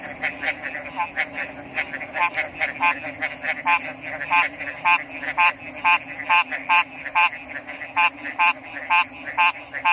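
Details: Frogs croaking loudly, with one strong, harsh, ringing call repeated about every half second or so above a softer chorus of similar croaks, all over a steady high hiss and a low hum.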